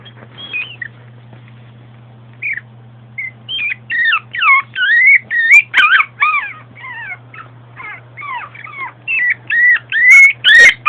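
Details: Female Long Coat Chihuahua, born 2010, recorded at home: a low steady hum, then whimpers that build into a rapid, insistent series of high squeaky cries rising and falling in pitch, nearly continuous by the close.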